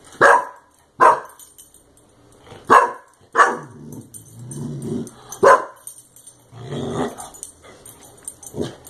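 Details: Clumber Spaniel puppy reacting to a compressed air can after being sprayed with it; sharp single barks at irregular intervals, about six loud bursts over nine seconds, with softer growly sounds and rustling between them.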